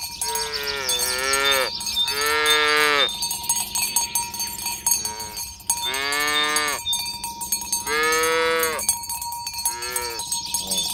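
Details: Tame cows on a village road, herded toward the pen at morning. Repeated moos, each about a second long with a rising-then-falling contour, alternate with short gaps while cowbells ring continuously.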